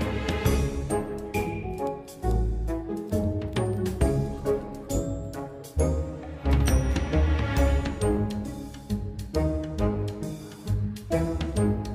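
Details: Instrumental music with deep bowed strings and bass plays throughout, and no animal voice can be heard.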